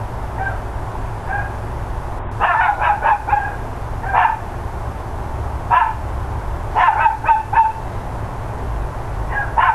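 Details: Neighbours' dogs bark repeatedly on a mid-morning of 13 October 2012. Rapid runs of four or five sharp barks alternate with single barks and brief pauses over a steady background drone.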